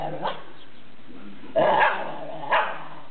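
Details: Whippet teasing another dog: a low rumbling mutter, then two short, sharp yelping bark-like calls roughly a second apart near the end.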